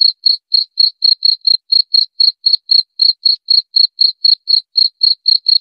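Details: Cricket sound for scaring off rats: a clean, rhythmic train of brief high chirps, about twenty-three in under six seconds, each separated by a short gap, in an otherwise quiet background.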